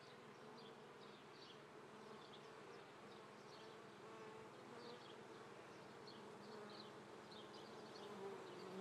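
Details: Honey bees at an apiary near Treviso, Italy, on a May morning at 9:30 in swarming season, 22 May 2010: dense continuous droning hum with many overlapping buzzing tones and scattered faint high chirps of birds.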